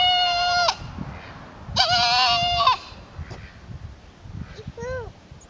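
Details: Goat trying to fit in with the herd: a steady flat bleat, then a louder wavering, strained bleat near a second long, then a short rising-falling bleat, with low rumbling noise between calls.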